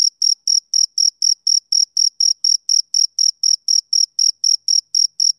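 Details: A male cricket calls on a summer evening, giving rapid, shrill chirps in an unbroken rhythm of about four per second, every pulse equally loud, against an otherwise silent background.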